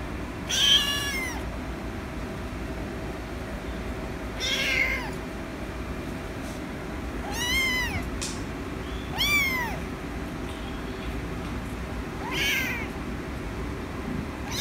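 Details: A rescued kitten calls for attention with five short, arched meows spaced a few seconds apart, each rising then falling, against a constant low rumble of background noise.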